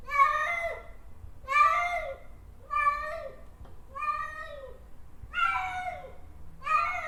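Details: A cat gives six drawn-out, plaintive meows at a steady pace of about one per second, each sliding slightly downward, in a quiet indoor setting.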